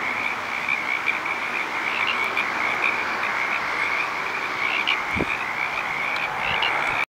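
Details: Petaluma frogs calling in chorus, a thick unbroken mass of overlapping trilled croaks holding steady throughout, with a brief low thump midway and faint traffic noise behind.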